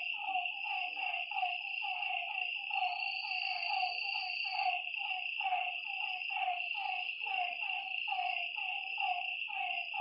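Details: Frogs at a lake at night keep up a busy train of brief, rasping croaks, several per second from a number of overlapping animals, with a steady insect trill running throughout.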